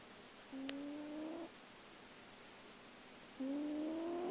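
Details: Small grey cat asleep and snoring; two drawn-out whistling tones of about one second each, gently rising in pitch and spaced about three seconds apart, over a steady background hiss.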